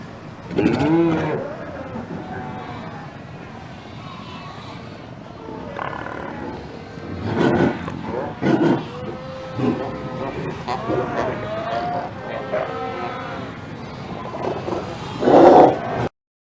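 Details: A large Cape fur seal colony at Cape Cross, Namibia, recorded on 19 February 2019, gives overlapping growls, barks, bleating pup-attraction calls and wavering female-attraction calls.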